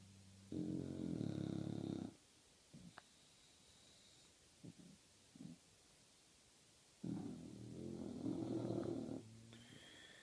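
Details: Two sleeping English bulldogs snoring indoors: two long, harmonic, rumbling snore bursts a few seconds apart, with quiet faint noises between them.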